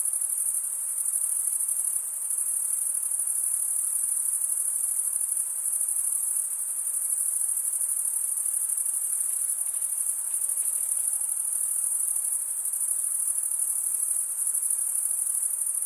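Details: Crickets stridulating, chirps made by rubbing one wing's toothed vein against the other, usually by males: a dense, steady high-pitched trill with fine rapid pulsing, unbroken throughout, faint hiss beneath.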